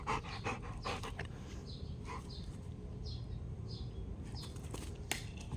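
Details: Female Rottweiler playing fetch, panting softly and fairly steadily at roughly two to three breaths a second; faint bird chirps recur in the background over a constant low hum.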